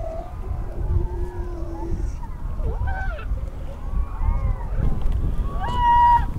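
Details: A newborn harp seal pup, about half to one hour old with a yellow coat, on Gulf of St. Lawrence ice, Canada, late February, gives wavering tonal cries over steady low wind while approaching to smell the photographer, mistaking him for its mother.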